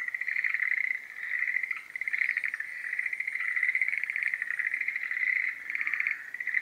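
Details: Breeding-season chorus of Schlegel's green tree frogs: continuous overlapping trills, each a fast rattle of pulses, rising and falling in loudness in waves every one to two seconds, with a thin high tone faintly audible.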